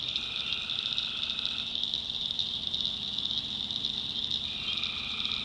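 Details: Night chorus of tree frogs in North Carolina backwoods swampland. Many voices blend into a continuous shrill, buzzing trill that never pauses, while a lower tone fades in and out and a quiet low rumble sits beneath.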